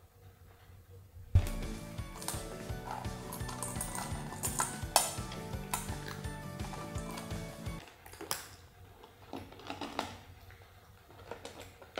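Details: Soft music plays under clinking dishes and cutlery, with scattered knocks and no animal voices.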